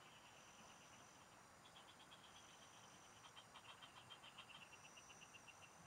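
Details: Frogs singing in the fields, recorded during fishing: a long run of rapid pulses starts softly and grows louder near the end, backed by a steady high whine and hiss.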